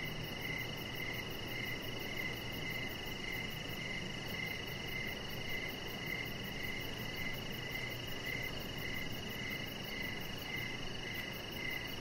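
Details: On an outdoor deck in the evening, with a chihuahua puppy nearby, crickets keep up a rapid series of short chirps about every half second against an unbroken high-pitched drone and faint low background noise.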